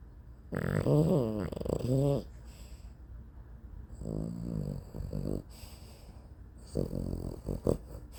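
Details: A sleeping dog snores in three drawn-out, rattling breaths about every three seconds. Each is a buzzy, wheezy rasp lasting one to one and a half seconds, separated by quiet pauses, with a faint high whine in the background.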